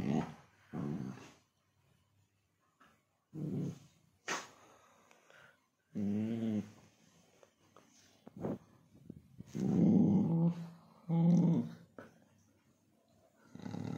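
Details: Playful Labrador Retriever giving short, low growls and grumbles in scattered bursts, with the loudest rough growls about ten and eleven seconds in and quiet gaps between them.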